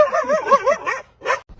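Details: An excited dog lets out a wavering, yodel-like vocal that slides up and down for about a second, then gives one short sharp bark.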